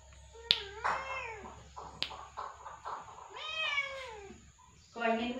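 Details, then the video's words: Cat meowing: several short rising-and-falling meows with bright harmonics, the last one lower and drawn out, with faint background hum and a couple of clicks. "Cat Meowing"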